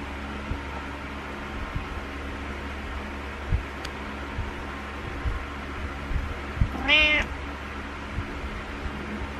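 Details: Butters, a cat, gives a needy morning meow indoors: a single strong, harmonic-rich meow lasting about half a second near the seven-second mark, bending up then down, with faint taps and a constant low hum around it.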